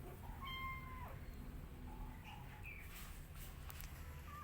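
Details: Rescue cat with kittens eating together: one steady, drawn-out meow lasting under a second, followed by a few shorter, fainter mews, over a low background rumble.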